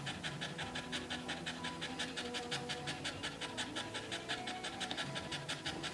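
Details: Red Staffordshire Bull Terrier bitch, a first-time mother named Rosie, in her whelping pen during labour; rapid, even breathy panting pulses, about three per second, soft hiss of breath throughout with no voices.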